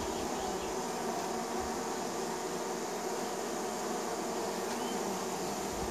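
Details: Many honey bees at a neighbour's hive in spring, flying in to land: continuous, low droning hum with even layered tones, no pauses, occasional brief louder whir of a bee passing nearby.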